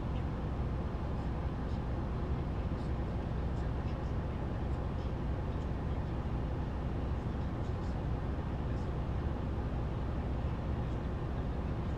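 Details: Loud, constant vehicle engine drone dominates the low end throughout, with faint scattered clicks above and no animal voice.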